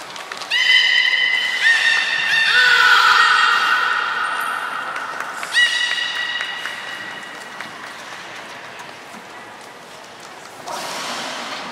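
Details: Beluga in captivity during the 16:00 public training session at Port of Nagoya Public Aquarium, 4 November 2018: a run of clear, steady, harmonic-rich whistled tones, some held flat and some dropping, overlapping for several seconds, then fading into hall ambience.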